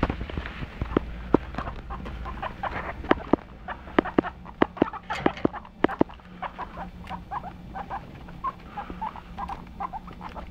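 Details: Pet guinea pigs squeaking in short repeated chirps amid frequent sharp clicks and rustling, with a low steady hum underneath.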